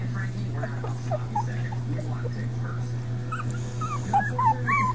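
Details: Litter of five puppies, Patches, Chunk, Pipa Squeak, Blaze and an unnamed pup, giving faint, short, high whimpers that rise and fall, scattered through the second half over a steady low electrical hum.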